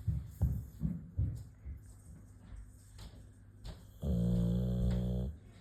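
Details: A Boxer dog sleeping and snoring indoors. Low, rough snores pulse about every half second at first, then grow quieter. A sustained, louder droning tone with a steady pitch follows for over a second.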